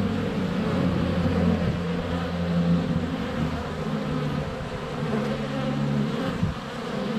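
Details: Honey bees swarming the hive entrance on a sunny February day, GoPro less than a foot away; deep layered droning buzz with gliding tones as individual bees pass, a brief knock near the end.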